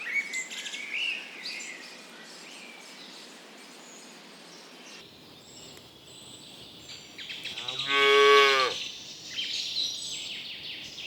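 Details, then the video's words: Birds chirp near a cow grazing among ripening rice paddies before it lets out one loud, bellowing moo midway through. Light birdsong continues afterward. "Cow mooing sounds"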